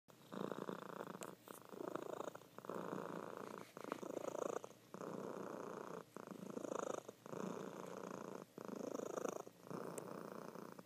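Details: Female house cat purring loudly while asleep indoors; a steady rough rumble in bursts of about a second, breaking with brief pauses between breaths, roughly ten pulses in a row.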